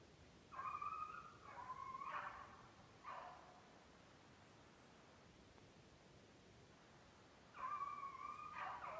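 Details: Beagles in Maine conditioning on snowshoe hare in July, being worked to lose weight; a few far-off drawn-out bawls and chop notes, then a long quiet gap before another sustained tonal bay near the end.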